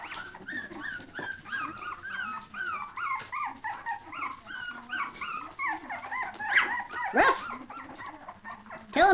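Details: Very young 3-week-old dachshund puppies, some red, yelp and squeak in thin, high, arching notes, several voices overlapping in a quick, uneven chorus; a person's voice is faint near the end.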